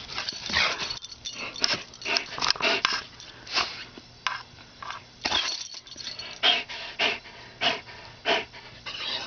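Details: Seamus, a greyhound, out in the yard after his dinner: loud, breathy huffs and pants in rapid irregular bursts, some close together and some spaced about half a second apart, with a faint steady low hum underneath.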